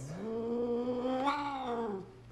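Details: House cat from a compilation of cats slapping humans, voicing a long, rich, wailing meow that holds steady, swells slightly in pitch past its midpoint, then drops away over about two seconds.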